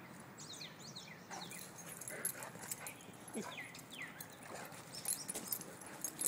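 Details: Dogs playing together, a young female pit bull found playing with Chase, a mastiff, new best friends who do not want to part; thin high whines and yips rising and falling in quick bursts over faint background noise.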